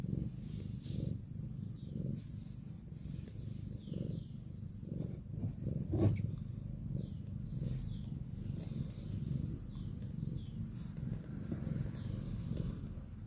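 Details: Cat snoring: low, rumbling, rhythmic breaths pulsing steadily about once a second, soft and continuous, with faint high chirps in the background.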